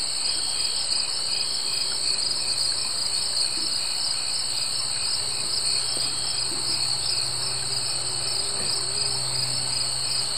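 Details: Summer insects, crickets, trill steadily in a dense, high-pitched chorus that never pauses.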